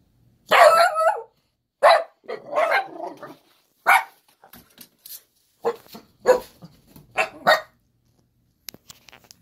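Sharp, high-pitched barks and whiny yelps from an Italian Greyhound come in uneven bursts, some drawn out into complaining whines. The dog is asking to be let outside.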